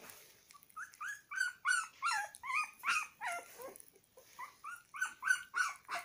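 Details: Puppy eating egg yolk, whimpering almost nonstop: a quick string of high, wavering whines that rise and fall, around three per second, with a brief pause midway.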